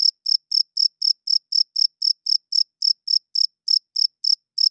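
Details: Night chirping of a cricket, sound made by the male's wings: shrill, evenly spaced pulses about four each second, each a short ringing burst, with nothing else audible.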